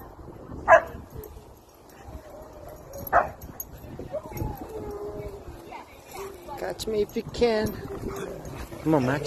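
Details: German Shepherd meeting friends at a playground, a happy dog greeting others: two sharp barks early on, then softer whining and yipping under human voices talking nearby.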